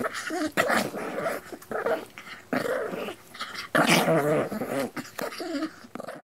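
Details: Dog growling in a small room, a continuous series of rough, wavering growls with brief gaps, some rising into harsher bark-like bursts, fairly close and loud throughout.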